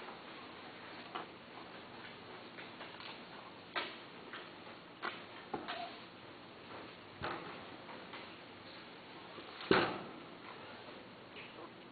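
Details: Scattered soft ticks and clicks sound over faint hiss in a quiet indoor room, with no animal calls.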